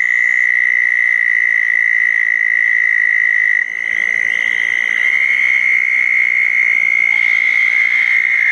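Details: Southern toads calling around small dug ponds on a wet night after a thunderstorm, June 10, 2014: a long, steady, high trill held at one pitch, with a short break and a slight pitch shift midway as callers overlap.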